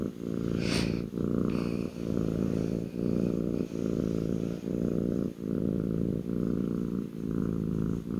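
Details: Kitten on its owner's lap purring strongly, a rich low rumble broken into regular inhale-exhale cycles about every 0.9 seconds, with a brief high squeak near the start.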